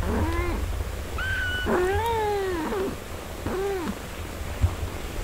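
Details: Domestic cat, a mother caring for and breastfeeding four-day-old kittens: clear, drawn-out meows, one long bending cry with a brief higher squeal, then a shorter falling meow, against a quiet low hum.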